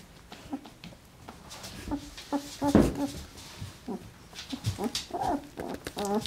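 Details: Twelve-day-old Alaskan Malamute puppies, sleepy and content after a feed, make soft, wavering whimpers and little squeaky grunts in short, scattered bursts, while a person's quiet voice murmurs now and then in a small indoor room.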